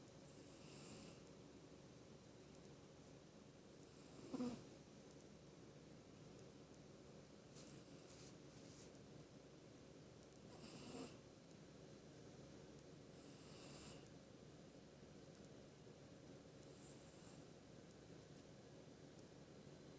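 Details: Pet cat snoring while asleep: soft, breathy wheezing snores with a faint whistling hiss, repeating roughly every three seconds over a low steady hum in a quiet indoor room, with one short louder rustle partway through.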